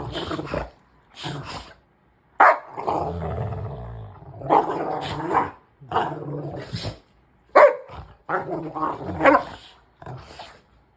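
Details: Two Rottweilers trade deep, rumbling growls and sharp snarling bursts in rough play, which sometimes goes overboard but ends without injury.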